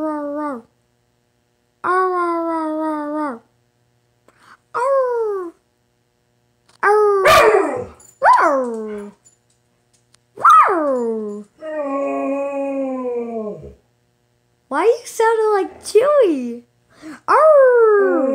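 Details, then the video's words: Pet dog "talking": drawn-out, whining howl-like moans that bend down in pitch, some rising then falling, given in separate phrases with short silences between, in a quiet room. "My dog talking"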